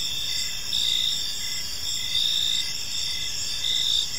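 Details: Crickets in a calm park at evening giving a thin, high continuous trill with a few louder pulses spaced around a second apart, soft low hiss underneath.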